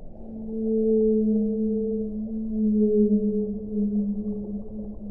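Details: A whale sings one loud, sustained, mournful tone with a clear overtone. It swells and fades in gentle pulses across five seconds, with a soft low rumble beneath.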